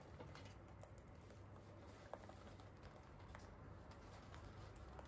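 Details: Free-roaming Holland Lop rabbits eat hay, making soft, rapid crunching chewing clicks over a low background hum.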